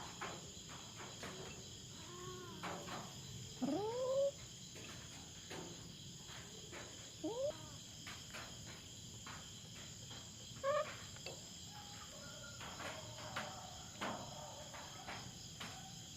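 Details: Feral cat on a farm in the Philippines, intruding into the resident farm cats' territory and confronting a black cat: drawn-out, rising, wavering yowls in several bursts, a few loud, over a dense, steady chorus of insects.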